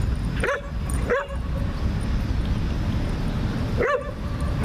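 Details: German Shepherd puppy wrestling and playing in an STL dog park gives three short, yappy barks, two close together near the start and one a few seconds later, over a steady low rumble of wind or distant traffic.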